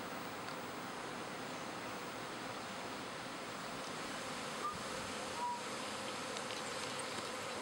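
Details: Swarming pet honey bees in spring, half the hive leaving with a new queen for a second hive in a backyard; a dense, steady hum fills the clip, with one brief faint tone near the end.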